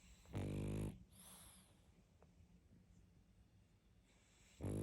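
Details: Pug dog asleep and snoring hard, one loud gravelly snore at the start and another rising at the end, nearly four seconds of soft, quiet breathing in between.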